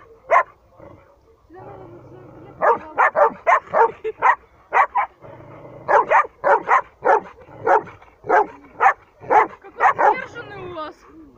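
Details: Samoyed held in a stay, barking in clipped, irregular bursts roughly twice a second. Short quiet gaps separate the barks, and there is a soft voice underneath.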